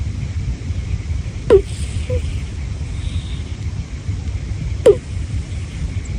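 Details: Teru, a senior black-and-white cat, asleep on a bed beside Homare: two short, sharp, falling nasal squeaks, 'puu puu', over steady low breathing rumble, spaced about three seconds apart.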